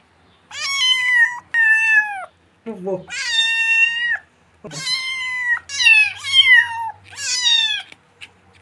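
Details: A kitten calls in a rapid series of about seven high, bright meows, some short and falling, others long and level. A couple of brief, low, muffled sounds come between them.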